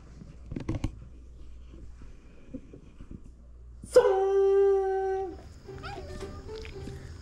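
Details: Dog at a countryside home shared with more than 34 dogs: after a few soft knocks, one drawn-out howl holds a steady tone for about a second and a half, then light background music follows.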